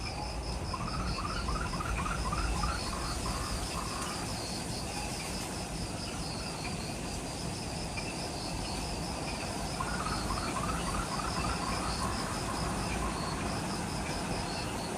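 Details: Twilight insect chorus in the forest of Ishigaki Island, Okinawa, Japan, just after sunset: rhythmic high pulsed chirping throughout, plus two runs of quick descending mid-pitched notes, over constant low ambient rumble.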